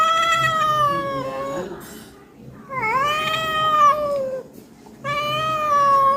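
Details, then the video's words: Domestic cat calling insistently after being fed: three prolonged, wailing meows. The middle meow dips and then rises before leveling off. Quiet pauses fall between the calls, with faint room sound. "আমি পঞ্চাননতলার ম্যাও"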